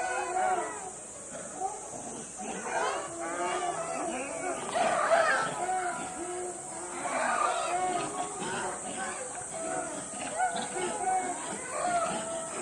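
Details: A troop of zoo monkeys chatters and calls excitedly at lunchtime as the zookeeper approaches, voices overlapping in a noisy chorus.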